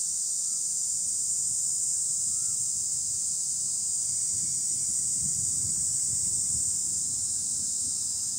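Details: Cicadas calling from trees produce a dense, unwavering high-pitched whine, accompanied by a couple of faint brief whistled notes and a low background rumble.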